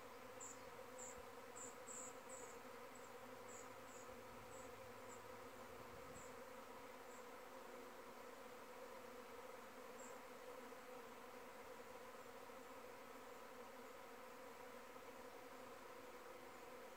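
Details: A honey bee's steady, droning flight buzz, rich in low overtones, with faint high ticks early on; possibly a virgin queen's mating flight, with most bees in the air from the hive.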